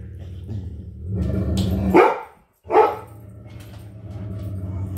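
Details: Great Dane and Poodle indoors barking at something outside: two loud, broad barks about a second apart near the middle, over a steady low hum.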